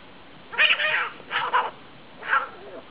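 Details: Cats fighting: three harsh, wavering yowls in short bursts, the first two close together and the third after a brief pause, over a faint steady background hiss.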